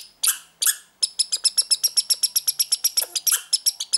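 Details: Juvenile American red squirrel behaving oddly; two loud harsh notes, then a regular chattering string of bright, high chirps at about four per second.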